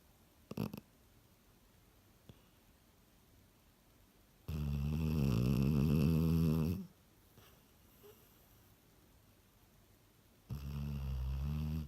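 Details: A Cocker Spaniel snores loudly in deep, rattling, humanlike breaths.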